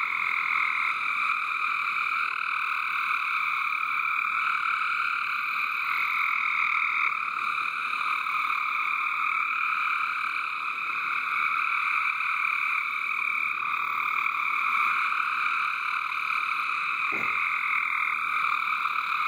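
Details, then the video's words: Frogs calling in a water garden: a dense, unbroken chorus of steady high trilling that holds level for the whole stretch, layered in several bright bands with no pauses, plus one brief low thump near the end. "Frog Song in the water garden"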